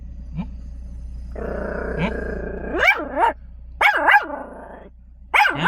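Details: Chihuahua protective of its car: a sustained buzzy growl of about two seconds leads into a pair of snapping barks, then another growl with a double bark in it, and a final sharp bark.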